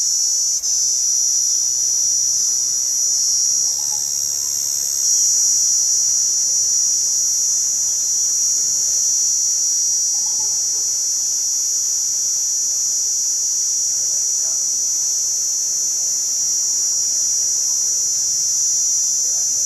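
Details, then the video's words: A cicada drones on unbroken, a shrill hissing buzz that swells slightly partway through, then holds steady to the end. "Sound effect of cicada"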